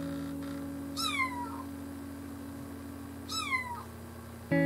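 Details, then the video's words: Kitten giving two thin, descending meows about two seconds apart, each sliding downward from a sharp start, over a steady low hum in a quiet indoor setting. "Adorable kittens meowing"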